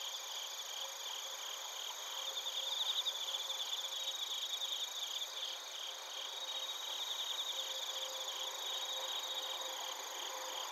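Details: Bell crickets and crickets chirping at Narita, Chiba Prefecture, Japan, via TASCAM Portacapture X8; continuous high insect chorus with pulsed trills early on, plus a faint lower steady tone coming and going.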